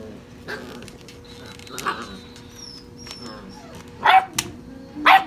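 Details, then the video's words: Six-and-a-half-week-old European Basset Hound puppies tearing around in play; soft whines and thin squeaky tones give way to two loud, harsh barks near the end, a low hum underneath. "Puppies Gone Wild"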